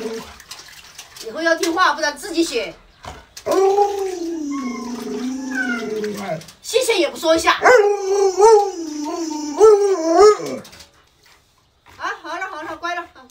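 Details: Luoluo, a pet Alaskan Malamute at home, howls in long wavering phrases, each about three seconds, sliding up and down like talking, with short breaks and human voices between the phrases.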